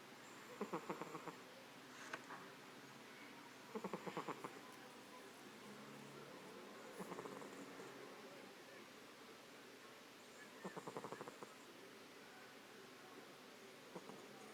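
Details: Vaflya, a pet cat, snores in deep sleep, each breath a brief train of fluttering, rattly pulses, repeating roughly every three seconds over a low, steady background hiss indoors.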